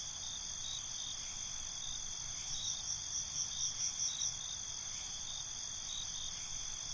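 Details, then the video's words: A night chorus of crickets, a shrill continuous trill joined midway by a burst of about eight rapid rhythmic chirps, then settling back to the steady ringing background. "Night ambience, Cricket Conversations"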